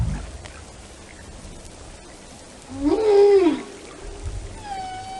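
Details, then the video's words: Whale song with one loud arched moan rising and falling over about a second amid quiet underwater hiss, followed by the start of a steady whistled tone with overtones. "the sound of a whale"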